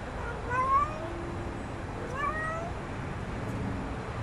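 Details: A stray kitten in a back yard, being offered food, calls two high, rising meows about one and a half seconds apart, each thin and slightly strained, against a low background rumble.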